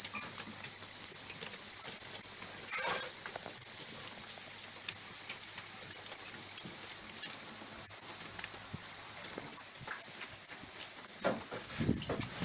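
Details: Captive house crickets kept for rearing keep up a continuous shrill ringing trill at even loudness, with faint clicks and a few light knocks toward the end.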